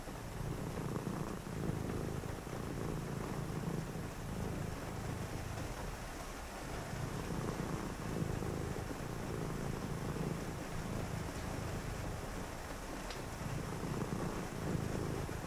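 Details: Pet cat purring through a rainy evening indoors, a low vibrating purr in breath-linked swells, with steady rain hiss throughout and a faint brief click near the end.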